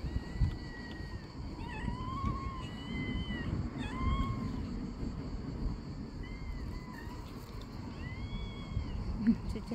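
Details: Angry mother cat, a rescued stray, with her frightened kittens: several short arched meows, some rising then falling, come in scattered bursts over a steady low rumble, with a faint constant high-pitched hum throughout.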